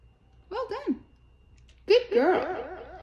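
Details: French Bulldog indoors howling into a microphone: two bouts of wavering, yodelling howls, the first short and broken, the second longer and rising then undulating, with a quiet gap between.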